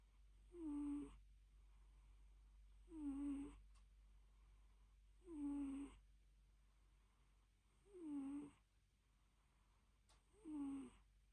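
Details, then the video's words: Dozing cat with rhythmic purring snores, five in a row about every two and a half seconds; each breath is a squeaky tone sliding slightly lower, with brief faint clicks and low hum between breaths. "Purring & snoring: the cutest (and loudest) nap ever"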